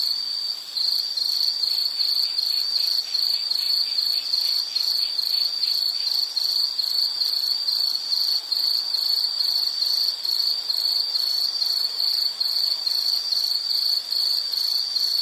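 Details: Insect chorus offered as a calming nature sound for study or sleep: a steady, high, shrill chirring trill broken into short pulses about two to three times a second, with faint higher overtones and no other sounds.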